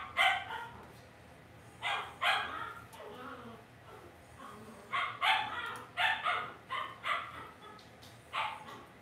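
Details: Cavalier King Charles Spaniel puppies in an indoor home puppy pen giving sharp, high yips and barks in irregular bursts, about a dozen over nine seconds, some doubled, with faint low murmuring between them.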